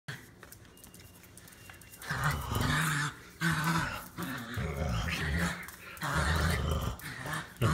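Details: Chihuahua kept in an office, growling in low, rumbling bursts indoors in a small room. The growls begin after about two seconds of quiet and continue in uneven spells until the end.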